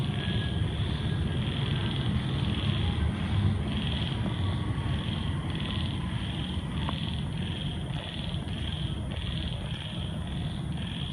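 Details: At night after a heavy downpour, frogs of different species croak together in a steady chorus, short high notes repeating over a low rumble, with other creatures also calling after the rain.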